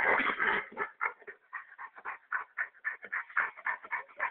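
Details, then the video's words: Dog making very strange noises while being massaged: a loud opening whine, then a run of short, rapid huffing grunts, roughly four each second, fairly steady until the end. "Dog making strange noises"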